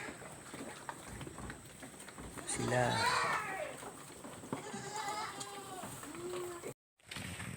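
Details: Pet farm goats at break time as the workers get ready to go home; a tremulous bleat near the middle and a softer, lower one a couple of seconds later sit under continuous human chatter.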